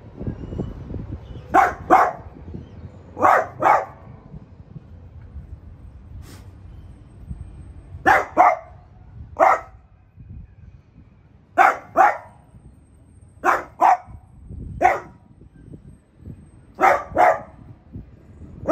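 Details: French Bulldog Piper confronting a new artichoke plant with repeated barks, mostly in quick pairs or singles spaced irregularly over nearly twenty seconds, against light low background noise.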